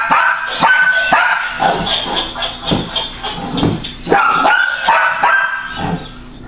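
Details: Female pet dog at her loudest, barking at a laughing, rolling toy triggered by motion; irregular barks about twice a second, layered over the toy's tonal laughter.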